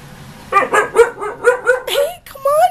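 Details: Female husky Ankita, nearly a year old, talks back to her owner during a heated argument. She gives a quick run of six pulsing, yowling syllables, then a drawn-out whine that rises at the end. The room is otherwise quiet.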